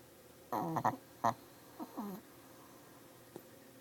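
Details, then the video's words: Shih Tzu, a female with sinus issues, snoring: a cluster of short, wheezy, snorting bursts in the first two seconds, followed by a quiet stretch with a single faint click. "the snoring Tzu"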